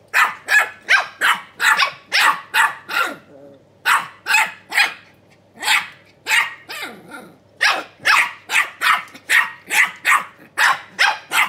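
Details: Two small Keeshond puppies talking to each other in high, yappy barks that follow each other quickly. The barks pause briefly near the middle, where a soft low whine is heard, then resume in a steady run.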